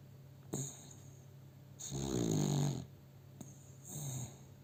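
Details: Pet dog Milo snoring while asleep in a person's arms, filmed with a cell phone: a long rattling snore lasting about a second, with short wheezy breaths before and after and a steady background hum.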